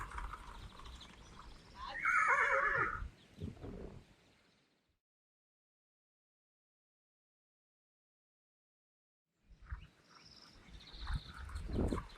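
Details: A Friesian horse, from the pair Rising Star and Reintje during an outdoor photo session, lets out a brief loud whinny around the two-second mark, then stamping and shuffling sounds before the recording cuts to silence and resumes with low rumbling.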